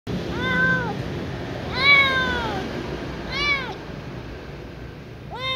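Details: Little ginger cat meowing when given milk: four loud, arched, harmonic-rich meows spaced about one to two seconds apart, each rising then falling, over a steady low background hum.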